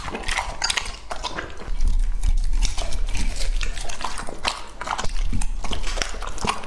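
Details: Two-and-a-half-year-old male English Labrador Retriever Lucky chewing food, close crunching and munching with dense irregular clicks and deep bumps, louder in the second half.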